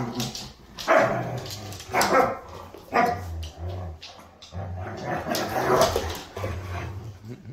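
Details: Siberian Huskies playing and squabbling over who is dominant: sharp, harmonic barks and yelping yips burst out about once a second, with low growly rumbles between them and a faint background hum.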